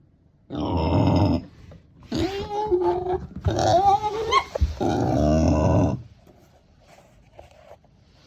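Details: Pet female micro pig in Miyakonojo, Miyazaki Prefecture, Japan, making a voice her owner had never heard before: loud, harsh, harmonic squealing and growling bursts of one to two seconds, some with wavering pitch, indoors.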